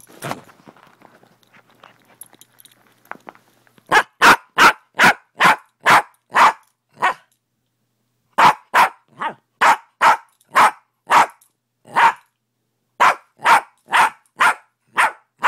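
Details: Fenway, a dog, barking in the morning: after a few quiet seconds of faint knocks, a long run of sharp, loud barks comes in bursts of about six to eight, with short pauses between the bursts.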